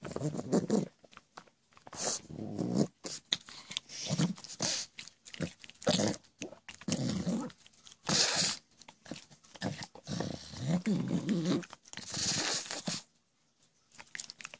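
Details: Pet pug making the goblin-like noises it produces constantly: rough, wheezy snorts and grunts in irregular bursts, some breathy and hissing, with a short quiet stretch near the end.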